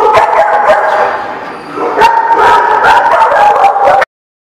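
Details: Dogs recorded on June 24, 2016, giving rapid, continuous, tonal yipping and drawn-out whining with overlapping calls, briefly dipping quieter midway before resuming and stopping abruptly.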